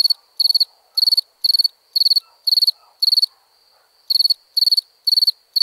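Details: Crickets at night giving rapid high pulsed chirps about twice each second, broken by a clear pause of nearly a second before the chirping resumes.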